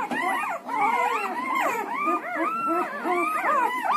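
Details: Newborn Siberian Husky puppies, one to ten days old, several at once, produce a dense chorus of high wavering whines and squeals, rising and falling continuously and overlapping throughout, with no pauses.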